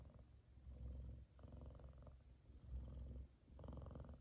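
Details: Sleeping F2 Savannah cat Kumba purring contentedly with his brother Taj lying across his head; a very low, steady rumbling purr in alternating breath phases about a second long, with a faint higher buzz on some phases.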